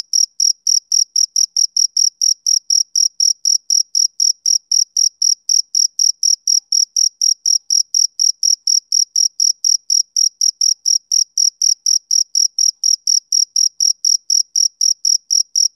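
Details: Rhythmic chirps from a male cricket on a summer evening: shrill, high, clipped pulses at an even rate of about four per second that continue throughout, with no other sound.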